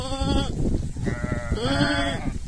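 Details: Sheep bleating while a shepherd talks to his flock; two long wavering bleats with rich harmonics, separated by a short pause, over low background rumble.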